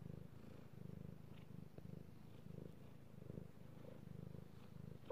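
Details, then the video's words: House cat purring under petting, recorded March 16, 2018: low vibrating purr in short alternating pulses, inhaled and exhaled rumbles trading roughly every half second, with light brushing noises. "Petting Io the Kitty Cat / ASMR Cat Purring"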